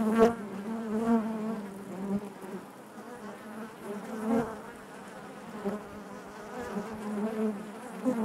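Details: Buzzing of a honey bee colony within the hive: a continuous deep hum with stacked overtones, swelling and fading in waves, with sharp louder passes around the start and middle.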